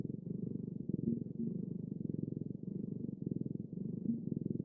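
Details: A cat's continuous purr, a deep buzzing throb of rapid pulses that swells and eases in regular breathing cycles in a quiet room.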